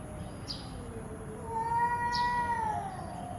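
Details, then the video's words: Angry domestic cat giving a long drawn-out meow with a slightly rising then falling tone, starting softly and swelling in the middle; faint clicks and steady background hiss. "angry cats"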